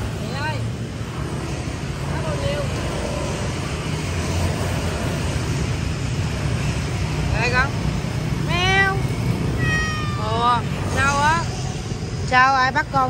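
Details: Meowing Persian cat at Quán Tiểu Hổ: after a stretch of voices and traffic rumble, several short wavering meows come close together in the second half.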